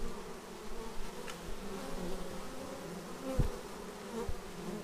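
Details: Bees returning to the hive, recorded on a Xiaomi Yi action camera: a faint, even humming drone with a soft tonal whine, and a single close buzz and tap late in the clip.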